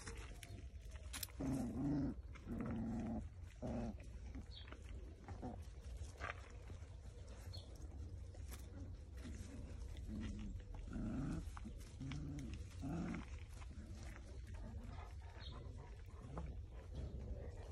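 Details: Cane Corso dog giving low growling and grunting vocalizations, several throaty bursts in the first few seconds then softer rumbling grumbles, over steady low background noise.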